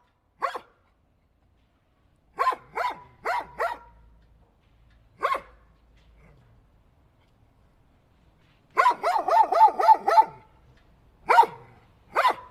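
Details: Single dog barks scattered at first, then a fast burst of six barks in quick succession, followed by two more isolated barks; otherwise quiet.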